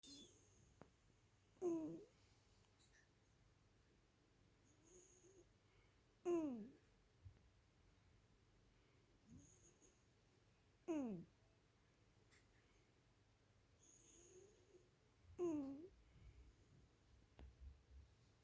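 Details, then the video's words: Ginger Donskoy cat snoring while asleep indoors: short, whistling snores that slide downward in pitch, repeated about every four and a half seconds with a quiet room in between. "Мой донской сфинкс храпит"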